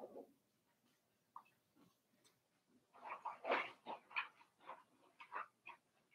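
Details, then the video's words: Indoor pen of four-week-old Cavalier King Charles Spaniel puppies from Daisy's litter; a run of rapid squeaky whimpers and little yelps builds in the second half over faint background hiss. "Daisy's Cavalier Puppies Livestream: 4 weeks old"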